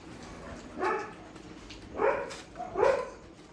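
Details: Dogs at a shelter during night feeding give three gruff, harmonic barks spaced about a second apart, with a faint background murmur.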